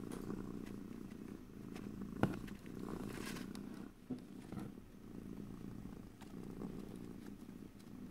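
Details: Pet cat purring softly and continuously, low vibrating rumble with a couple of small clicks and light rustles, recorded ear to ear in stereo without talking.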